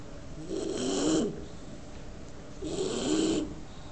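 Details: Sleeping Bulldog Maro, nicknamed the eyebrow dog, snoring contentedly; two drawn-out raspy snores about two seconds apart, each with a faint whistling tone inside, over quiet background hiss.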